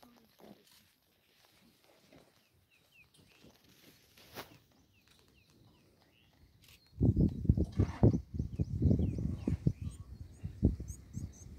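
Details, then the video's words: A cheetah in the Sabi Sand Reserve beside Kruger National Park, South Africa, purrs loudly, a deep rumbling throb that begins after several seconds of near silence. "Cheetahs don't roar, they meow and purr ...."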